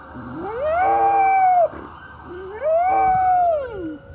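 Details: Pet dog named Rex howling along with an ambulance siren; two long rising-then-level wails, each about a second and a half, swelling up, holding steady and sliding down, separated by a short pause.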